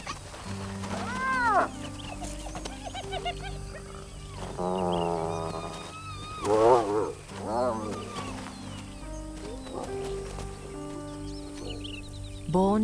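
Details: Spotted hyena clan on the Liuwa Plains, western Zambia: the queen's two young cubs take turns bossing an orphaned yearling at the bottom of the hierarchy; scattered arched squeals and a wavering whine stand out over sustained music.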